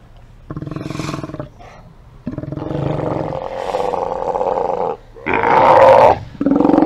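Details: Steller sea lions at a haulout, recorded by a live cam on 24 September 2018, giving loud harsh roars in bursts of about one to one and a half seconds, with short quiet gaps between them and overlapping animals.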